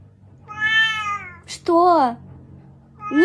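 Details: Pet cat giving a series of meows indoors: a long, steady, plaintive first meow, then a sharper, wavering meow that bends down in pitch, and a third beginning at the end; short noisy burst between them.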